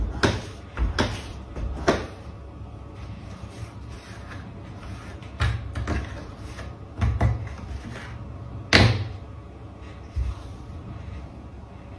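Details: Sharp knocks and thuds, like a door or cupboard being bumped and rattled, recur against a low indoor hum. No animal call stands out.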